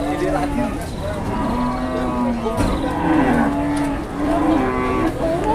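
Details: Cattle in Indonesia, low drawn-out lowing with rich harmonics, several moos running one into another across the stretch, with people talking and background noise.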